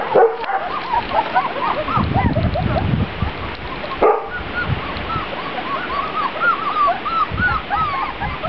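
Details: Litter of Grand Basset Griffon Vendéen pups on their first trip outside, 23 June 2009: many short rising-and-falling squeaks and whines, with low rumbling handling noise and a sharp knock partway through.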